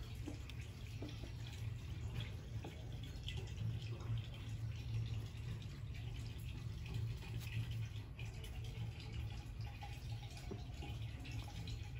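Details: Steady low indoor rumble with faint running-water and dripping sounds throughout, and no animal voices.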